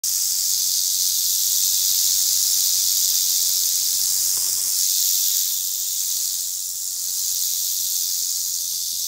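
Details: Western diamondback rattlesnake in Oklahoma, recorded in fall: a steady, continuous high-pitched buzzing rattle that holds for the whole stretch with only slight swells in loudness.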